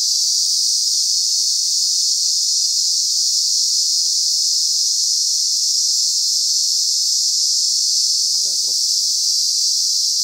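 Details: Cicada chorus from thousands of insects in Lokobe Reserve, Nosy Be, Madagascar, forming a constant shrill buzzing wall of sound without pauses. A faint low wavering sound briefly appears near the end.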